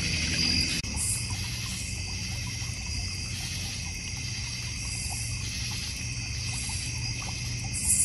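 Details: Backyard crickets in the North Georgia Mountains keep up a dense, even high-pitched trill with faint periodic swells, over a low background rumble that may be the pond.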